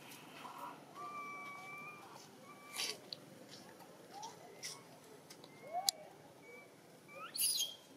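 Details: Spoiled infant macaque Dito whining for milk in Siem Reap Province: faint pure-toned wails, held and then sliding upward, interspersed with sharp clicks and a brief noisy rustle near the end.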